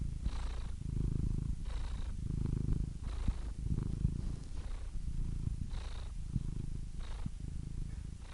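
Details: Purring cat close up: low vibrating drone rising and falling with breathing, soft airy hiss on each breath cycle.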